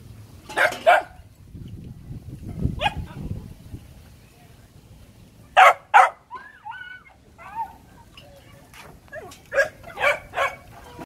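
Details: Phu Quoc Ridgeback puppies kept at a kennel in Saigon let out sharp, short yapping barks in small bursts, two close together near the middle and a pair near the end, over a low background with a man talking.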